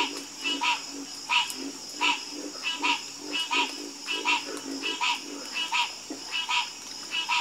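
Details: Frogs croaking together in a calm chorus, with harsh, buzzy croaks repeating roughly every 0.7 seconds, some close and loud and others softer behind, while a steady shrill hum runs underneath throughout.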